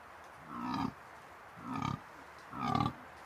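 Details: A dominant fallow deer buck with his harem gives deep, belching rutting groans about once a second, during the autumn rut in the New Forest.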